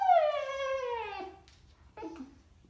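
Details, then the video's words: A Siberian Husky puppy throws a howling temper tantrum, giving a drawn-out, falling howl and then a shorter whining yowl, because he would rather play with his new toy than go outside to the bathroom. "Siberian Husky Puppy Howling Tantrum"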